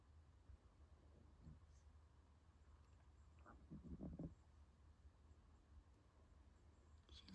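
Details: Sleeping female puppy napping peacefully and tired, snoring faintly with a soft puff near one and a half seconds and a longer rasping snore around four seconds, over a low steady hum.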